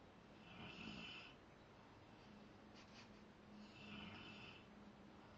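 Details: Rottweiler Zakk snores in his sleep, two drawn-out rasping breaths about three seconds apart with a faint low hum running underneath.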